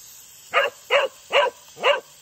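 A Cocker Spaniel gives four short, even barks about every half second, asking for water.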